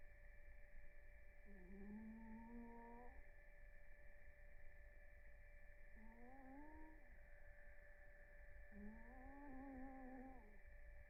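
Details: A sleeping cat called Blue snores in REM sleep. Three tonal, whistled snores of about one and a half seconds each sound roughly every three and a half seconds, some rising then dipping. A faint steady hum lies beneath them.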